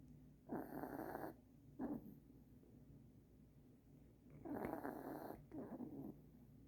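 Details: Puppy sleeping in Christmas pajamas gives raspy snores indoors: a long snore, a short snort, then after a quiet gap two more rough breaths close together.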